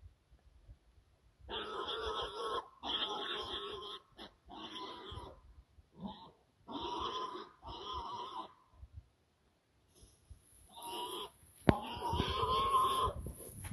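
A fallow deer gives harsh, rasping grunts in short bursts, an angry sound made while fighting.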